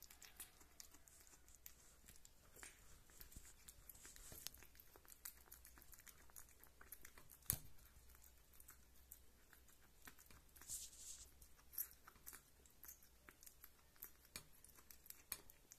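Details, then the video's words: Small wet smacking and clicking as the young cat Rita eats meat or drinks milk, irregular soft ticks running continuously with one sharper snap midway. "Small Kitty Sounds Kitten Eating Meat & Drinking Milk"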